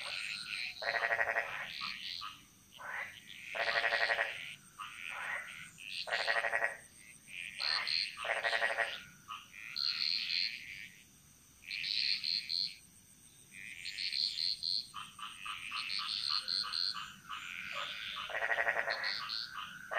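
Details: Chorus of frogs echoing through Balinese jungle, with loud rasping pulsed croaks in bursts of one to two seconds, separated by brief pauses and answered by other callers, while a faint constant high whine continues.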